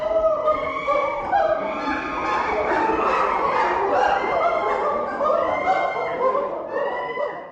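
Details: A chorus of great apes, gorillas or chimpanzees of the Republic of Congo's equatorial forest, fills the air with loud, harmonic hoots and rising shrieks that overlap continuously in rapid, uneven bursts with no clear pause.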